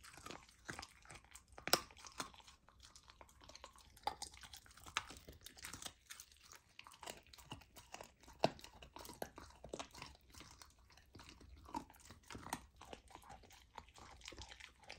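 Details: Raw-fed golden retriever puppy tearing into raw lamb for the first time, indoors: irregular crunching and wet chewing with occasional loud snapping bites and softer gnawing between them.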